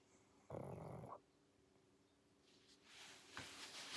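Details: Pangpang the pug, sleeping, lets out one short harsh snort-like rasp, followed by faint breathy snuffles and shuffling near the end.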